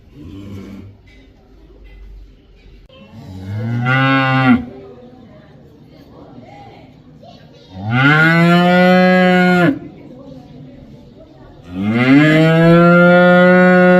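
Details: Cow giving three loud moos spaced about four seconds apart: a short first bellow, then two longer, deep, sustained moos with a slight rise at the start, over faint background noise between calls.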